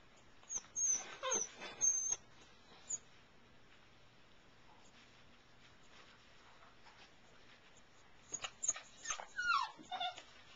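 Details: Airedale Terrier puppies in a whelping box at night make thin, high squeaky whimpers and wavering whines in two bursts, at the start and near the end, with rustling and a quiet middle.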